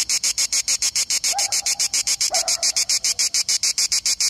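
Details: A grey cicada (Cicada orni) sings a steady train of harsh, high clicking pulses, about seven each second.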